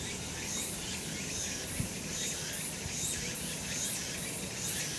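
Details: Cicadas calling on a sunny summer mountainside: a dense, continuous high-pitched shrilling chorus with rhythmic surges that pulse about every half second, steady throughout, over a faint low rural background.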